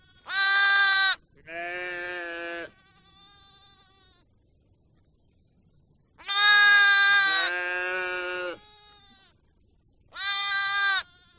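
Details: Sheep calling: loud, quavering bleats, each followed by a softer, lower and more drawn-out bleat, with a long pause in the middle. A final loud bleat closes the sequence on a quiet background.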